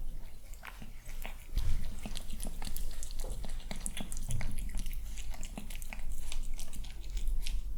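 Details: Handsome, calm male kitten eating breakfast indoors during quiet morning hours; crisp crunching and biting clicks come in a dense, uneven stream, with a soft low room hum underneath.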